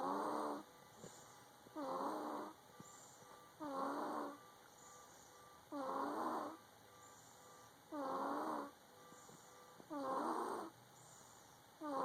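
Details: Congested snoring from Amare, a domestic cat suffering from a cold: six regular raspy, buzzy breaths, each lasting under a second and repeating about every two seconds, over a constant faint high-pitched hum.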